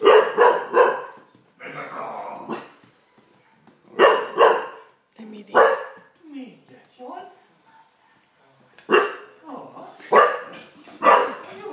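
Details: Olde English Bulldogge, scared by a Megatron toy, gives bursts of two or three quick deep barks at the start, then near four and nine to eleven seconds, mixed with human speech throughout.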